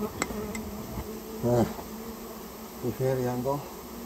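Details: Japanese honey bee colony disturbed during removal from a storehouse where it had built its nest; loud buzzing bursts that rise and fall in pitch, two strong swells, with a lower hum between and a few sharp taps.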